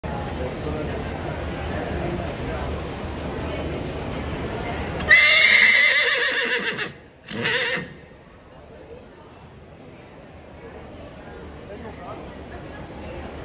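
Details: A 20-year-old Quarter Horse, described as not happy, gives one loud neigh of about two seconds with a wavering tone, then a shorter burst; steady background noise before and quieter rustling after.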